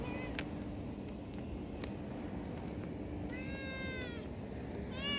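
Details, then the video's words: A cat gives an arched, drawn-out meow followed by a shorter meow near the end, over steady broadband background noise. "funny and cute cat and street cat || cat lovers viral cat | meowing"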